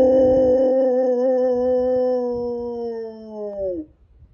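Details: Pet dog giving one long, steady howl lasting nearly four seconds with rich harmonics, sliding slightly downward and dropping off sharply at the end, with faint background noise after it stops.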